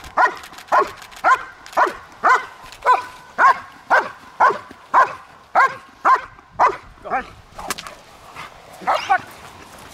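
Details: Trained German Shepherd at Kraftwerk K9, barking repeatedly in a rapid, regular run of about fifteen clear barks, spaced near half a second apart, tapering and weakening toward the end.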